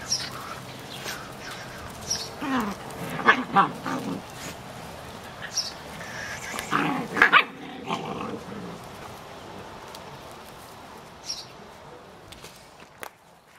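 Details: German shepherd dog barking in short irregular bursts, several loud barks clustered mid-recording with quieter yelps and rustling between, background hiss throughout.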